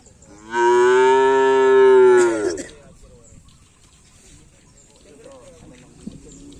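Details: Cattle at bull race (karapan sapi) training on a field in Asemanis, Pamekasan: one long, loud, steady harmonic moo lasting about two seconds, ending with a falling break, then quiet background with faint distant noise.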